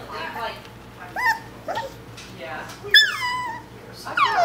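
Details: Maisy, a six-week-old Coton de Tulear puppy, gives short high whimpers and yips that slide downward in pitch, about four spaced across a few seconds, the sharpest near the middle, over a low steady background hum.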